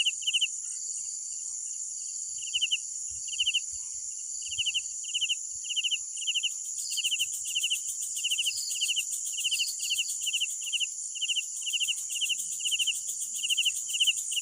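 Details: Nighttime cricket chorus: a loud cricket repeats short pulsed chirps at a steady pace, while a dense high whining drone of other insects fills the background and a second chirper joins faintly.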